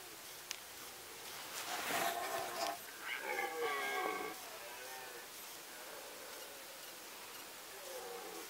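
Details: Red deer during the 2018 rut in the Sandomierz Forest: a broad noisy burst, then a harmonic, wavering roar lasting about a second over a quiet woodland background with faint hiss.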